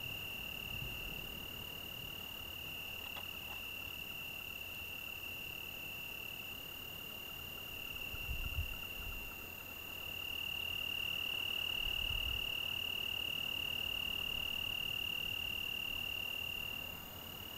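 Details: Long continuous song of an Italian tree cricket on an early-June evening in the Algarve: a bright, steady high-pitched trill that swells louder halfway through, with faint low thumps and rustles in the background.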